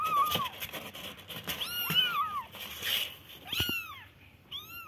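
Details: Young kittens give high, downward-curving mews, a few overlapping cries in quick succession with brief clicks and handling noise between them.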